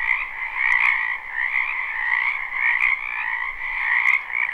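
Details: Dense spring chorus of wetland frogs, live and unlooped: overlapping trilled croaks in a higher and a lower band, loudness gently rising and falling every second or so, with a couple of faint clicks.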